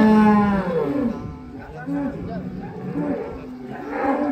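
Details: A giant cow weighing more than 1.4 tonnes at a weighing gives a loud, steady, low moo at the start, followed by shorter wavering sounds amid background music and voices.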